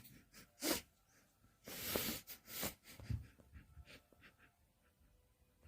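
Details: Sleeping puppy named Kkandori snoring: a sharp breathy snort near the start, then a longer rasping burst followed by two shorter ones, fading into faint, irregular soft breaths in a quiet small room.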